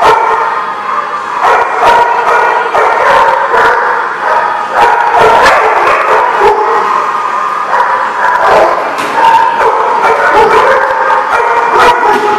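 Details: Dogs at The Barking Lot, recorded 14 December 2015, bark almost nonstop, with sharp overlapping barks and higher yips layered into a dense, continuous chorus that holds steady throughout.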